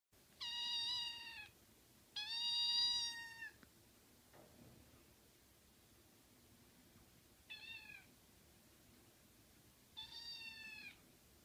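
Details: A young male American Shorthair kitten, born July 2015, gives high, thin meows because it is hungry and wants to be fed.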